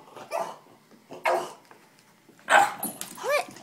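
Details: Gizmo, a pet dog in a hyperactive, crazy mood, lets out four short, harsh bursts of barking and growling roughly a second apart, the last ending in a rising, yelping tone; the room is otherwise quiet.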